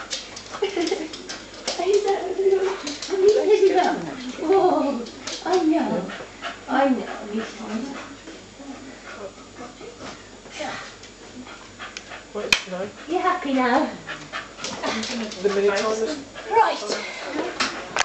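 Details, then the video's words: Excited whining and yipping from a group of five pet Soft Coated Wheaten Terriers giving their 'Wheaten greeting', with wavering whimpers in repeated bursts, a sharp bark-like yip midway, and human speech throughout. "The Wheaten Greeting"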